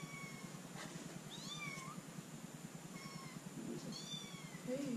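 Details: Female baby kitten named Arya, a new pet indoors, gives several thin, high meows, some short and rising, others drawn out and falling, over a steady low room hum.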